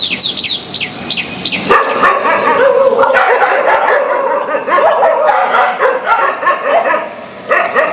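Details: Dogs barking loudly at each other in displeasure; a string of quick high yips opens, then dense overlapping barks and growly yaps continue.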